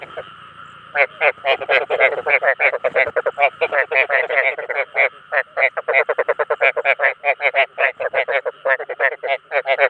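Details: Calls of rice field frogs, meant to draw in their own kind, start after a quiet second and then run as a fast train of rasping, pulsed croaks from several callers over a constant faint hum.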